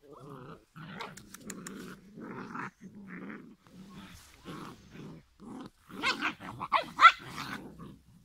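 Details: Giant schnauzer litter at five weeks old: steady low puppy growls in short bursts, broken by brief gaps, ending with louder yelping barks and squeaks.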